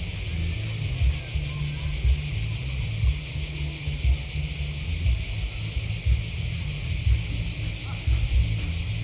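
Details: Continuous high buzzing trill of chirping crickets, many insects blending into one even sheet of sound, accompanied by a steady low rumbling background and light periodic low thuds.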